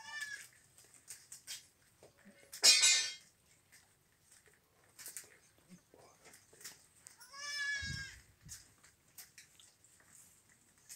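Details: Young goat kids eating leaves; two loud, wavering, nasal bleats, one early and one past the middle, with leaf rustling and soft chewing clicks in between.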